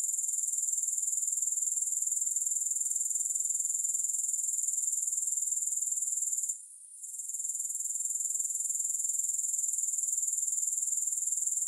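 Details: Steady high-frequency grasshopper chirring, pulsed regularly about four times a second, with a short pause around seven seconds; otherwise unbroken and free of music.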